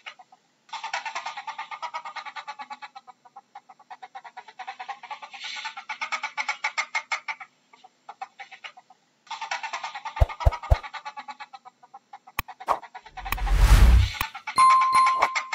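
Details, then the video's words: Ferret giving long runs of rapid, clucking chuckles, about four pulses a second, in bursts separated by short pauses; loud knocks and a rustling thump near the end. "How does a ferret sounds"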